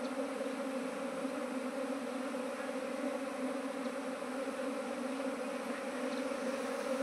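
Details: Honey bees at a beekeeper's colony, one of several gathered this year, give a continuous, even, layered drone that holds without a break for the whole stretch and has no other clear sounds.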